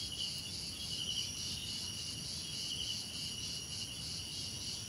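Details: Crickets in a relaxing nature soundscape, a steady high-pitched ringing trill with faint rhythmic pulsing, layered in several high bands over a soft low rumble of background noise.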